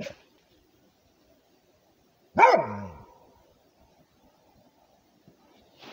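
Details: Guarding its territory, a Rhodesian Ridgeback lets out a single loud bark with a falling tail, preceded and followed by near silence with faint ticks.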